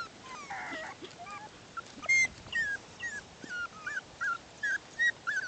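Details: Six-week-old Bichon Poodle puppies playing outside; after a muffled start, short sharp high yips ring out about twice a second, each a brief bent squeak over quiet background.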